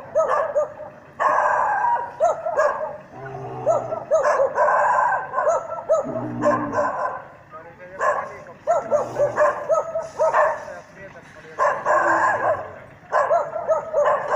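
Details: Norrbotten spitz barking at a mechanical bear during bear-dog training: dense runs of sharp, ringing barks in rapid bursts with brief pauses, plus a few lower voice-like sounds in the middle.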